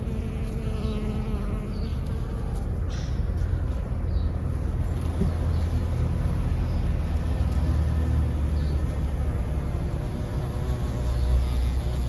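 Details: Low, steady droning hum of many bees, with a bumblebee, buzzing around a flowering sage-like plant with silvery leaves and pink flowers in a sunny garden, over a soft outdoor rumble.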